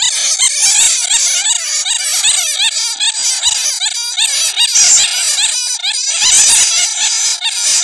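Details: Bats captured in a net, their real voices used as a lure to draw more bats: a dense, continuous chatter of high, shrill squeaks and chirps overlapping without pause.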